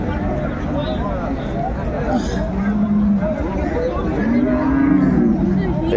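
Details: Moos from a cow at a livestock market in Dinajpur where cows with calves are sold, January 2025. Two mid-pitched moos, one short and one longer and arching, over loud speech and background hubbub.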